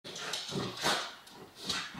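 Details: Two female miniature schnauzers eager to play with a big blue yoga ball; short sharp barks and whimpers, a burst near the middle and another toward the end, fairly quiet indoor setting.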